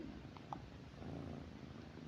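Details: Pet cat named Mithu purring at night while lying in bed with its owner, an even low rumble with a faint click early on.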